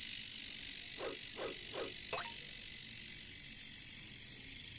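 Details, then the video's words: Katydids (bush crickets) in jungle surroundings give a constant shrill, high buzzing drone. Four short, lower croaking notes come in quick succession near the middle, then the insect hiss carries on alone. "bunyi caricangkas katydids bush crickets"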